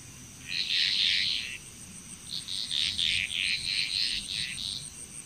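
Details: Frogs calling together in Bali, Indonesia, a loud opening burst of croaks followed by a string of shorter trilled pulses, with a thin high whine running underneath throughout.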